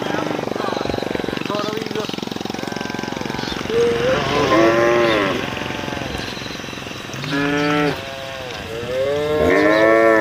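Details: Roadside cattle calling the herd: faint moos under a steady engine rumble, then louder, clearer bellowing moos that rise and fall, three distinct calls in the second half.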